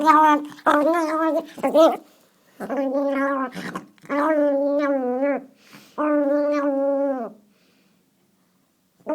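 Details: Teacup Chihuahua indoors, growling out the window: about five drawn-out, harmonic, grumbling growls, each lasting one to one and a half seconds, separated by brief silent gaps, with a short human exclamation heard at the start.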